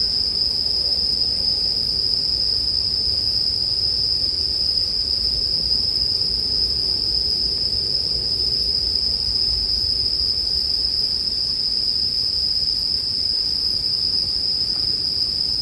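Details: An even, high, continuous ringing from bell crickets fills sleep music with bonfire sounds. The note holds without rhythm or pause over a low, soft rumble, with an occasional faint pop.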